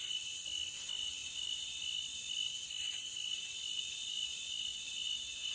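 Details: Forest crickets in a continuous high, shrill chorus: steady layered trilling bands with slight pulsing and no pauses, a loopable nature recording with no other sounds.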